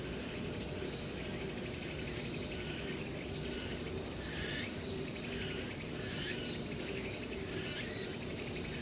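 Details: A late-summer chorus of cicadas among the trees of Changgyeonggung Palace in Seoul, South Korea, makes a dense, continuous shrill buzzing with brief sharper bursts.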